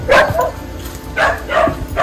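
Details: Stray dog on a mountain road in central Taiwan giving two loud, short barks about a second apart, each a sharp yelping burst; a person speaks soothingly afterward.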